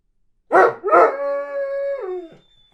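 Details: Weimaraner kept at a boarding home, longing for its owners: two quick gruff barks run straight into a sustained, steady howl that drops in pitch and breaks off.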